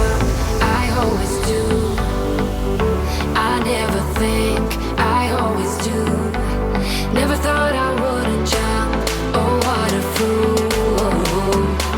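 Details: Loud electronic music with a pulsing bass line runs throughout, with no animal voice heard.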